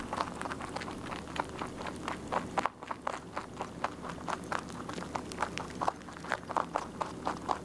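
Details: Rabbit eating continuously, a close, rapid run of crisp crunching bites, a brief hush near the middle, then steady chewing clicks again, several per second, in a quiet indoor setting.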